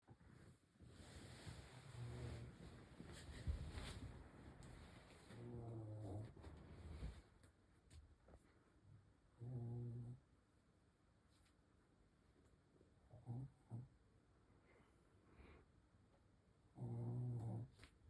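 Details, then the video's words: Sleeping Shih Tzu snoring: low, rumbling harmonic snores come in separate bursts roughly every three to four seconds, with quieter breathing noise and a faint steady hiss between them. "코골이 하는 시츄"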